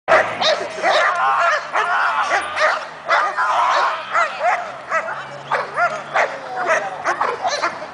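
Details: Friendly English bulldog shown doing personal protection; continuous excited barking and yelping, rapid rising yips packed closely together with little pause, near and loud.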